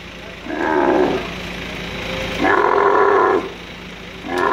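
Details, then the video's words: Angry male dromedary camel lifted by crane at Al Ain camel market, UAE, March 2017, giving two drawn-out groaning roars about a second long, with a low steady hum beneath and the start of a third call. "Moving an angry male camel with crane at Camel Market in Al Ain UAE"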